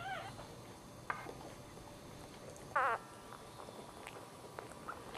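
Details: Newborn Dachshund puppy during a litter birth, the third pup delivered, gives one short wavering high squeak near the middle, with a few faint brief squeaks around it over a quiet, hissy background.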